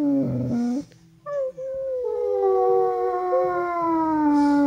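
An Alaskan Malamute lets out a long, tuneful howl that slides slowly downward.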